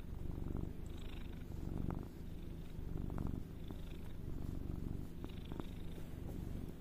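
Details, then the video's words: Domestic cat purring steadily indoors, a continuous low rumbling vibration with soft rhythmic pulses swelling and fading across the recording. "Soothing sound"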